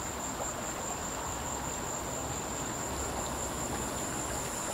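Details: Cicada calling from a tree: a continuous, steady, high-pitched buzzing tone that holds unbroken throughout, over a dense wash of broadband hiss and low rumble.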